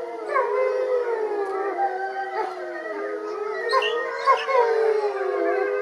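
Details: Pack of captive wolves in full chorus, joining Motomo, who protests his mate Mai being taken for a walk, 20/09/2020. Many overlapping wavering howls form a thick, continuous wall of sound.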